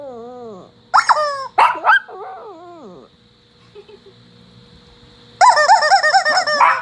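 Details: A Shih Tzu gives wavering, whining howls with rising and falling pitch, in bursts.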